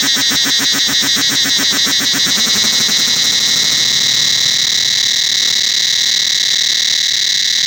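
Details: Cicadas throughout the Angkor Wat temple forest: rapid pulsed throbbing for about three seconds, slowing and fading into a continuous shrill, high-pitched whine that holds steady afterwards.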